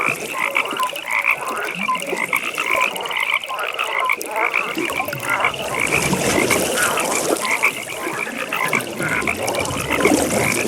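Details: A dense night-time pond chorus of frogs, with rapid, pulsed croaks and trills from many callers overlapping steadily.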